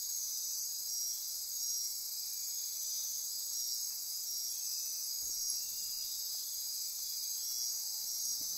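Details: Nocturnal rainforest insects on Costa Rica's Osa Peninsula near Corcovado National Park, a continuous high-pitched ringing and trilling wall of sound, with a couple of soft low clicks midway.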